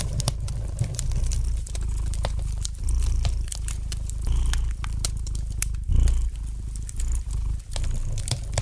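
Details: Low, even purring from a domestic cat next to a gently crackling fireplace fire; the rumble pulses with the cat's breathing and brief pops and crinkles punctuate it.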